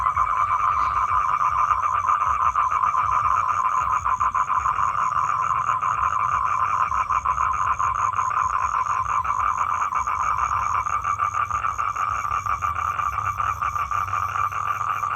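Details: Male toad calling for a female to mate: a steady, rapid, buzzy trill held continuously for fifteen seconds, slightly rising and falling in strength, with a faint high tone running above it.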